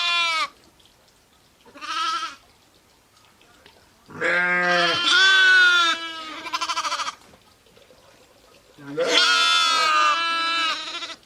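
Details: Sheep. Sheep bleat in turn, some calls long and quavering with a rough, nasal tone, others shorter and higher like lambs. The baas come in bursts a few seconds apart with quiet gaps between.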